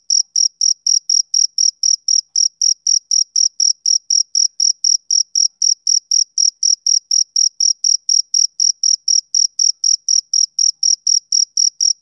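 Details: A chirping male cricket on a summer evening produces a relentless, metronome-like train of thin, piercing chirps repeating about four times a second, with no other sounds.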